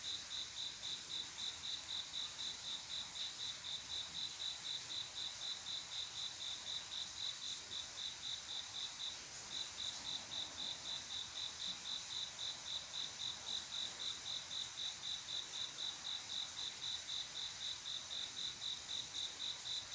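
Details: Cricket on a quiet midsummer night, a male singing to attract a female: a long run of even high chirps, roughly four per second, with one brief pause near the middle, over a faint constant insect hiss.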